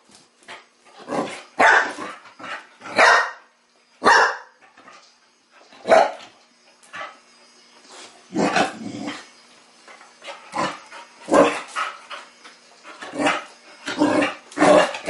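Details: Playful Chow Chow puppy Sasha, teething, barks at a mechanical ball given to her moments earlier; a steady run of short, sharp barks and growly yaps repeats roughly every second across the whole stretch.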